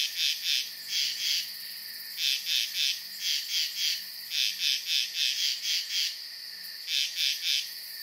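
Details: Frogs at a peaceful pond at night: high, clipped chirps in quick runs of three or four pulses, repeating every second or so, over a constant high-pitched whining drone.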